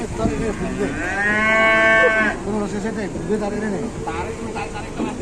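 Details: Cow stuck and bent over, being rescued by dozens of villagers in Indonesia; one long, loud, harmonic moo rising slightly and held for about a second and a half, with men talking and shuffling around it.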